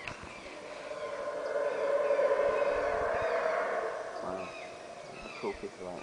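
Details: From atop Caracol, Belize, howler monkeys give a long, hoarse, droning roar that builds, holds for a few seconds and then trails off, with faint bird calls and a few low thumps near the end.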